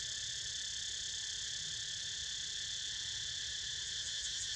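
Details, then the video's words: Cicadas keep up an unbroken, piercing high drone as a pet naps, the buzz slightly swelling near the end over quiet low background noise. "Snoozing To The Sound Of CICADAS!!"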